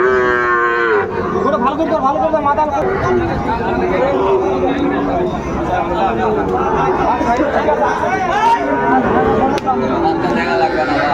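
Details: Cattle lowing at a busy Bangladeshi cattle market in Brahmanbaria on 31 May 2024, where a farmer buys a Sahiwal bull: a loud, drawn-out harmonic moo opens, then fainter moos are heard through steady crowd chatter and shouting.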